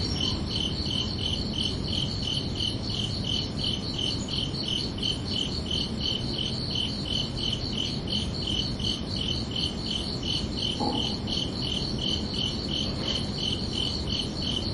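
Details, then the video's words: ['Night-time cricket chorus on a summer evening, high-pitched chirps pulsing evenly about three times per second throughout, with a brief faint extra sound near the end against a low steady hum.'] "Calming Cricket Sounds for Relaxation"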